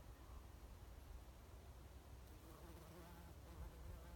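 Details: A bumblebee on Oregon grape at Lewis and Clark National Historical Park gives a low, steady droning buzz that hums continuously under faint background rumble.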